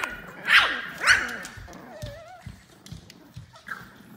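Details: French Bulldog barking: two loud, sharp barks close together in the first second and a half, followed by fainter thin whining, wavering tones and a few soft knocks.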